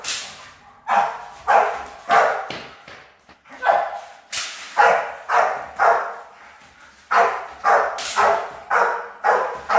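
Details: Guard-training Rottweiler puppies, high-performance guard-work line, bark repeatedly in bursts of sharp, harsh barks about twice per second, broken by short gaps.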